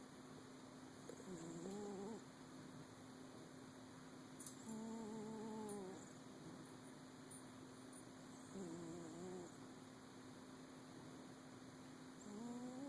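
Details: Sleeping cat snoring indoors: drawn-out nasal tones with stacked overtones, each breath lasting one to two seconds and recurring about every three to four seconds, over a steady low electrical hum.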